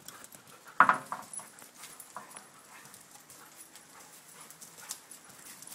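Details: One sharp, loud bark rings out early from one of several dogs (a Schnauzer, a Ridgeback and shepherds), followed by a brief softer yelp, then quiet shuffling and faint clicks.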